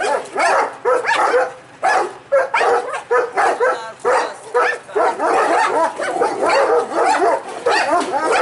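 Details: Kuvasz male and Mudi guard the house, barking at the postman: a rapid, overlapping chorus of rough barks and yelps, nearly continuous, with a human voice faintly mixed in.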